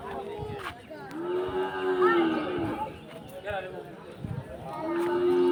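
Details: Cattle at a cattle market in Bhaluka, Mymensingh: drawn-out, low, slightly bending moos, several overlapping, over a busy background of crowd chatter and market noise.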